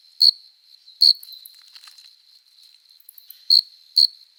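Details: Adult male cricket singing on a summer night to court a female, rubbing its forewings; four loud chirps come in two pairs separated by a softer steady trill.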